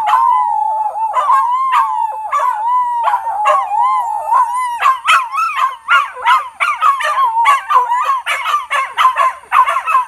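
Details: Australian Cattle Dog; howl; answering howling coyotes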